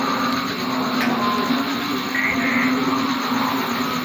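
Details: Steady broadband noise with a constant low hum and a faint brief tone, with no animal calls heard.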